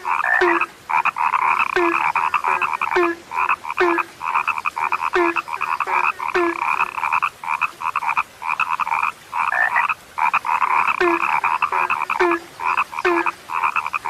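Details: Frogs described as now rare, a dense chorus of short nasal croaks stacked in rapid bursts, with a lower clipped note breaking in roughly every half second, pausing briefly now and then before resuming.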